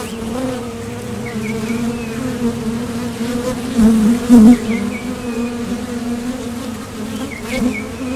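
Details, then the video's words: Foraging honeybees buzzing as they leave and land at the entrance of a Top Bar Hive. Their low, even hum surges loudly around the middle as a bee passes close, while faint bird-like chirps repeat in the distance. "Bees Sound Effects"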